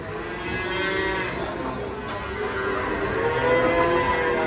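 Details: Banteng cattle being unloaded from a truck give a long, drawn-out moo with a steady, droning tone that carries through the whole stretch, over a constant background hum.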